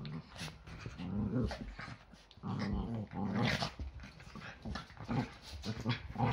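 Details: Indoors on a Sunday morning, Yorkshire Terriers wrestle in their daily playful scrap. Steady throaty growls rise and fall in long rumbles, with a person's voice faintly heard over the scuffle.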